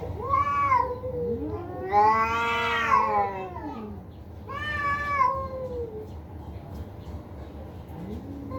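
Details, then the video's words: Cat fight: three drawn-out caterwauling yowls, the middle one loudest and longest, each swelling then sagging in pitch, over a low hum, with a woman's voice heard briefly before. "বিড়ালের ভয়ংকর ঝগড়া"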